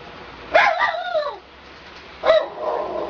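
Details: Schnauzer singing: two yodelling howls, the first a wavering, falling wail about a second long, the second a shorter rising-then-falling cry trailing into a lower moan, over a faint low hum.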